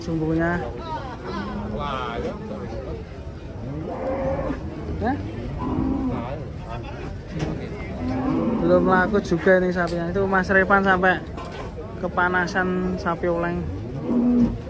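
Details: Giant, fat cattle giving deep, drawn-out moos with a low, rich tone. Several long, steady calls swell louder in the second half, mixed with human voices and some background commotion.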